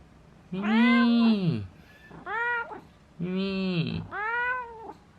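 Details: Domestic pet cat giving four loud, drawn-out meows, each rising then falling in pitch, the first and third longest, with short quiet gaps between them.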